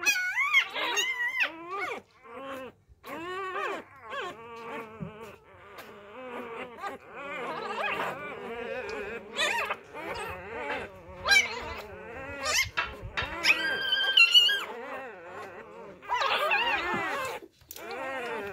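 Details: Several newborn Labrador Retriever puppies being fed fresh milk after their mother deserted them cry together, a dense, overlapping chorus of thin, wavering squeaks and whines that continues almost without pause.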